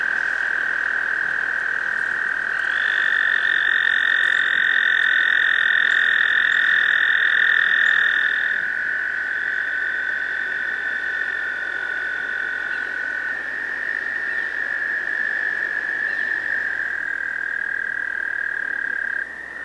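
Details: Spring chorus of male American toads at a breeding pond, trilling to attract females: a sustained high trill, with a second, higher trill overlapping for several seconds before the first voice carries on alone.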